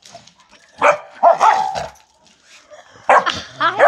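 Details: A young Labrador–Pit Bull mix puppy gives sharp, harmonic barks in short bursts with gaps, barking angrily at another dog, which is then hushed.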